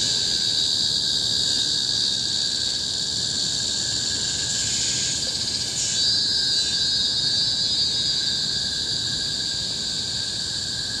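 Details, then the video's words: Shrilling cicadas in Singapore's tropical forest on Bukit Timah Hill, 2017: a steady, piercing high buzz with a continuous lower hum beneath, rising briefly in a louder outburst around the middle. "Symphony of the Cicadas in Bukit Timah Hill-Singapore"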